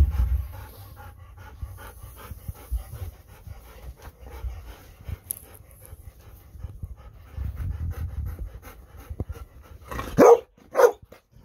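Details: Golden Retriever, one of the pair Kohaku and Bis, panting indoors while clinging to a visiting girl at goodbye time; steady rapid breathy huffs with a low rumbling undertone, ending in two sharper louder bursts.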